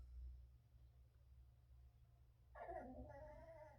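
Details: Chihuahua growling mildly and threateningly indoors while its owner eats; a short, buzzy, harmonic growl rises suddenly near the end and holds for about a second over a low room hum.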